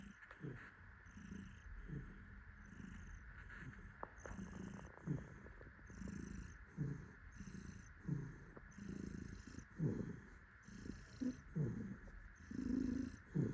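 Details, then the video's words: Happy tuxedo cat purring while held and cuddled by its owner; a low rumbling purr pulses in steady breath-paced waves about every second, with soft, faint rustling in the background. "Happy cat purrs while daddy cuddles it. パパに抱っこされて、嬉しみのゴロゴロ音。"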